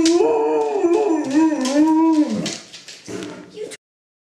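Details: A three-legged Alaskan Malamute howls: a sustained, wavering tone rising and falling for about two and a half seconds, then breaking into shorter whining notes before stopping.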